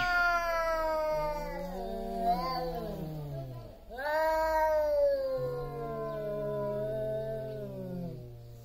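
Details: Two big male cats about to fight over territory yowl loudly, long wavering howls rising and falling, overlapping drawn-out moans with a low growling voice beneath, a brief dip near four seconds before the wailing resumes.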